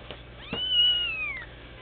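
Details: One-week-old Sphynx kitten giving a single thin, high meow that rises briefly, holds, then slides downward over about a second, with faint soft music in the background.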